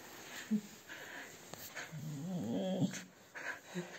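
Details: Husky being brushed at a dog grooming salon in Ovcha Kupel, Sofia, Bulgaria, lets out a low, rolling grumble of about a second, wavering in pitch, between quieter brush strokes and faint room noise.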